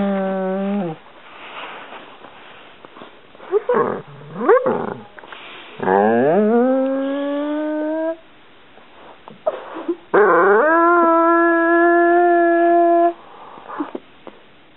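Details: Dog whining insistently because its favourite toy is stuck under the couch: a varied series of whimpers, some swooping upward, others held as long steady tones of several seconds, separated by short quieter gaps.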